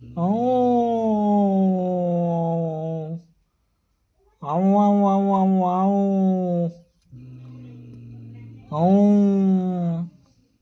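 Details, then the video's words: Male and female domestic cats in heat yowling indoors: long sustained moaning wails of about three seconds, one wavering, alternating with a lower, quieter droning growl between them. "Extremely Heat Male Female Cats Making Noise"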